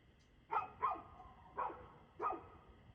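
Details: Barking dog, 6:02 pm on 2/6/2024: four short, rough barks, a quick pair followed by two more spaced about half a second to a second apart, with a faint steady hum behind.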